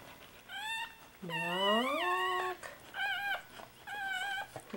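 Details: Soft Coated Wheaten Terrier at a puppy birth: a dog gives high tonal whines, a short one, then a long rising and wavering cry, followed by two brief whimpers, over a quiet background.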